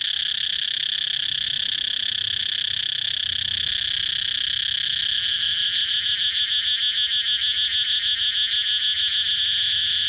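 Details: Cicada chirping as a constant shrill buzz; around the midpoint a quick pulsating throb, several beats per second, rises over the drone and continues to the end.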